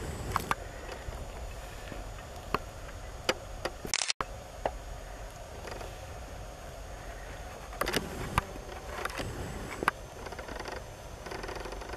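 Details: Camera handling clicks and taps over a steady background hiss, with a brief dropout and no clear insect buzzing.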